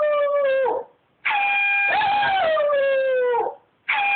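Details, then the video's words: Howling pet dog responding to an air horn app, one drawn-out wavering howl gliding gently downward, then merging with loud, level horn tones that cut off abruptly before returning. "Dog howling to air horn app"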